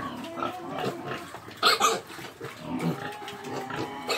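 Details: Pig snorting and grunting, broken by a sudden loud, harsh, high squeal near the middle, then softer grunts resume.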